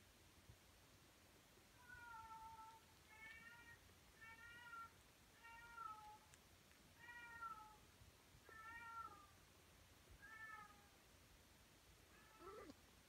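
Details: Tonkinese cats indoors, with day-32 kittens nursing from their mother Lana while another cat, Lyssa, hunts a favorite toy in the kitchen; a soft series of about eight short, falling meows, each with a slight waver, repeating roughly every one to one and a half seconds.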